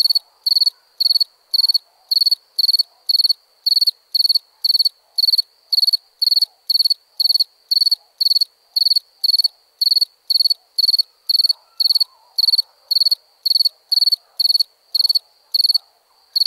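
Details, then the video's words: Crickets at night produce a long, unbroken run of sharp, high chirps close to two per second, each a rapid cluster of pulses, over a faint low-pitched background murmur. "Relaxing Chirping Crickets for Sleep Therapy, Meditation and Study"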